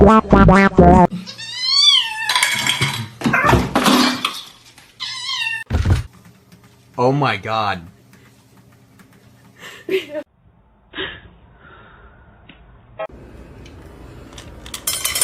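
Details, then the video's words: Kitten meowing indoors: several drawn-out, arching meows, each rising then falling, in quick succession early on, followed by a shorter wavering meow, with human voices, thumps and room noise around them. "kitten meowing"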